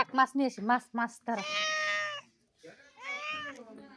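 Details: Cat giving two long, strained meows after a burst of rapid short vocal syllables at the start, the second meow wavering and slightly rising, over soft background noise.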